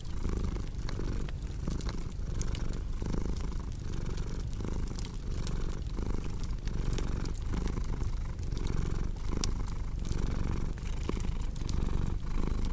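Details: A cat's continuous low purr pulses rhythmically with each in and out breath, roughly every second, layered with the dry crackle and occasional sharp pops of a burning fireplace.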